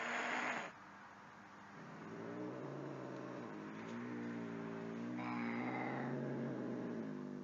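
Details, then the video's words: Angry domestic cat giving a long, low, drawn-out yowl with a steady growling undertone for several seconds, rising slightly in pitch near the end, after a short burst of noise at the start. "Very Angry Cats Video - Angry Cats Meowing"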